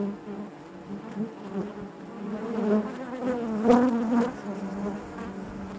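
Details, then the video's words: Honey bees buzzing in the hive, a low constant drone where individual wingbeat tones waver up and down, building to a louder close pass near the end before fading back to the background hum. "bees therapy hive natural buzzing sound"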